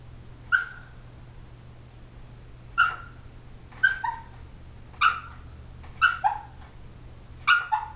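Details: A sleeping 18-week-old female Shiba Inu puppy gives short, high whimpers and yips, some doubled, at irregular intervals, possibly while dreaming.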